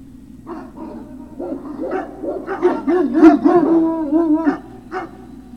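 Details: Great Dane puppies, Puppy Hill, 03-06-2019 between 16:24 and 17:24: loud, busy yipping and squealing whines, several overlapping and wavering in pitch, building to a noisy peak midway before tapering off.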